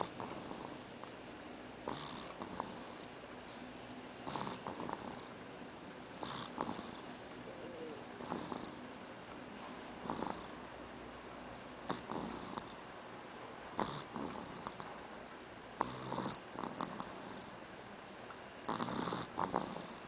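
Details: Dog snoring while asleep in a quiet room, a steady run of short, rough breathing snores spaced roughly two seconds apart, some doubled, over faint background hiss.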